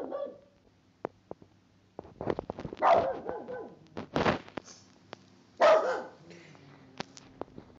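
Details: Cavalier King Charles Spaniels, a 10-week-old puppy named Niki and an older dog named Qualia, indoors; short sharp barks and yelps in bursts with clicks and light taps between, a voice faintly heard.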